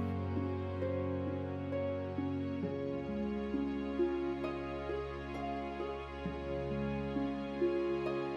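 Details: Gentle, sad piano-led music with sustained chords and a slow melody fills the recording, and no animal sound is heard.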